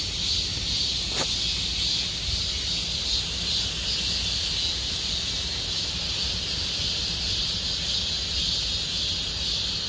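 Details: Summer cicada chorus in Gomsol Nuri Forest, Sihwa district: a continuous shrill buzzing wall of sound that holds level, broken once early by a brief sharp click, with faint low ambient rumble underneath.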